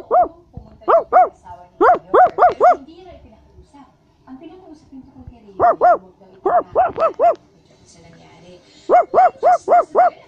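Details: Basset Hound giving rapid runs of sharp, tonal barks in clusters of three to five, with brief quiet gaps and faint background noise between bursts.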